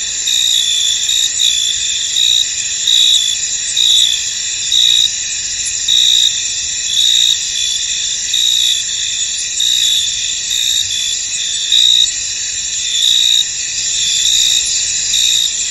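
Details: Crickets in a misty, foggy field form a dense high-pitched chorus, steady trilling bands overlaid with brighter chirp bursts repeating roughly every second; no other voices, wind or water clearly heard.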